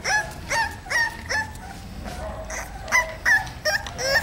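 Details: Thirty-five-day-old female English Bulldog puppy from a kennel, granddaughter of a two-time world champion; sharp, bright yelps repeat roughly every 0.4 seconds in a steady run, each with a brief whiny tail.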